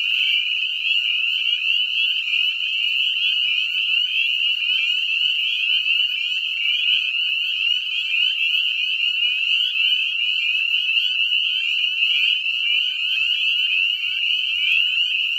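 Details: Breeding spring peepers calling in a septic lagoon, a dense chorus of many males giving high, piercing peeps that overlap continuously into a shrill ringing wall of sound with no pauses.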